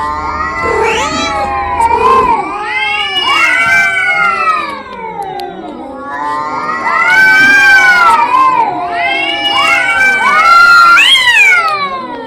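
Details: Arguing cats trading overlapping drawn-out yowls, rising and falling in slow arcs, growing louder and shriller toward a piercing climax, several voices wailing over one another.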